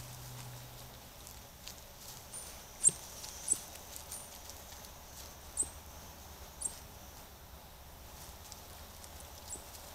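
A band of coatis calls with brief, thin, very high-pitched chirps that come singly or in quick pairs every second or two. A faint low rumble and soft rustling run underneath.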